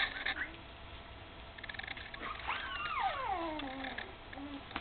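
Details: Mother dog Candy tends her puppies, almost three weeks old and just beginning to walk; a drawn-out whimpering whine glides downward in several overlapping harmonic strands during the second half, over quiet indoor rustle.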